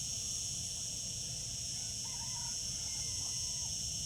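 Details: Summer cicadas produce an even, piercing high buzz throughout, while a faint distant bird call rises briefly midway behind the drone.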